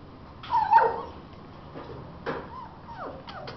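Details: American Bully puppies of Gottiline and Remyline bloodlines in Aguascalientes, Mexico, give high wavering whines: one drawn-out whimper early on, then a few short downward-sliding yelps near the end over a quiet, faintly noisy background.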